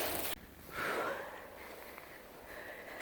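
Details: A roe deer gives a single hoarse, rasping bark very close by at night in a forest, after a sharp rustle; roe deer call to each other near and far across the woods. Faint noise and breathy sounds follow.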